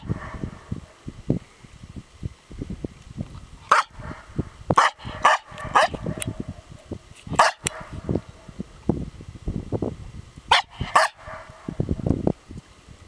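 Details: Female Norwegian Elkhound barking at herself, with sharp barks scattered irregularly and bunched into short clusters separated by pauses of a few seconds, while tapping and shuffling noises fill the quieter stretches.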